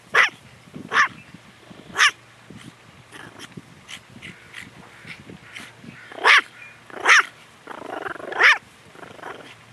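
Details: Eve, a long-haired toy Chihuahua kept as a pet, barks while guarding indoors: sharp, high yaps repeated irregularly, some louder clusters near the end, with muttered growling between them.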